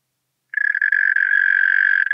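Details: European mole cricket calling in Pabing, Austria, on 31 May 2021: a steady, continuous low churring trill that starts abruptly after half a second and holds an even pitch throughout, with faint higher overtones and no other sounds.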